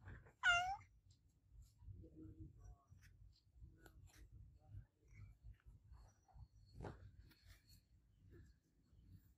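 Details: Adopted pet cat meowing loudly indoors: one sharp, bright meow near the start, then mostly quiet low background rumble with a brief click later.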